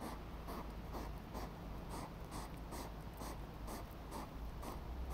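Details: Evening feeding fight between hedgehogs at Hyvinkää, Finland, 29 July 2017; a run of short, puffing huffs about two per second over continuous low rumbling noise.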